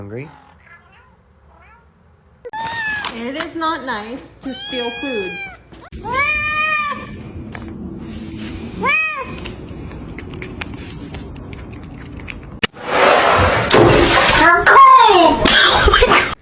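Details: Domestic cat giving a run of about five arching, drawn-out meows in quick succession, each rising then falling, followed by a louder burst of mixed noise with a human voice and a faint final mew.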